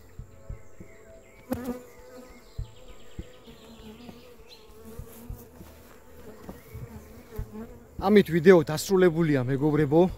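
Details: Apiary honey bees, kept for breeding and artificially raised queens, give a continuous even drone with a few soft knocks for about eight seconds before a man starts talking over the hum.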